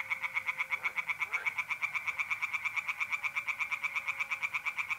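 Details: North-east Italian pond at night in April, tree frogs calling without pause: quick, regular rasping knocks about three per second, bright and loud, with a faint steady mole cricket trill below.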